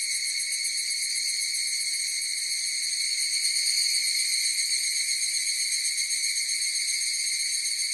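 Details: Steady ringing chorus of higurashi cicadas, high and tonal with several overtone layers, pulsing quickly at roughly four per second, with a slight swell midway and no background noises.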